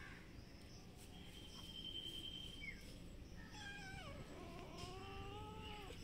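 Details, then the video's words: Domestic cats, a brown cat and a white kitten, outdoors on green grass behind a house, ready to fight; drawn-out wavering yowls, one high and steady, then several sliding, bending wails overlapping, over a constant low background hum. "Cats Rady to fight every secution"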